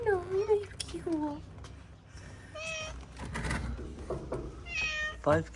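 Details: Stray calico cat in Morocco, recently the mother of four kittens, utters several short harmonic meows, some falling and some rising, mixed with a woman talking gently and low background hum.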